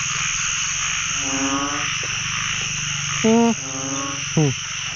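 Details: Amid a pond-wide chorus of narrow-mouthed frogs, first catch of the year, several deep harmonic moans sound, including two loud, short nearby blasts near the end, over continuous high-pitched calling.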